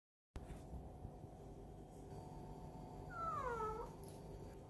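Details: A rescued pet cat yawning indoors: a single brief squeaky tone sliding downward near the end of the yawn, over steady low background hum.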